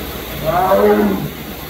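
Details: Sumatran tiger at Memphis Zoo giving a single short, low moaning roar that swells and fades within about a second, over steady background hiss.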